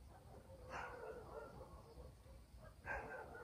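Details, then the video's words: Two distant dog barks, about two seconds apart, ring out over a low night-time murmur in a rural village. "barking dogs in the village"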